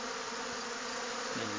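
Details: Honey bees robbing a weaker hive during a dearth, many bees tussling at the entrance; a dense, steady buzzing swarm sound with a low hum, faint clicks and a beekeeper's voice nearby.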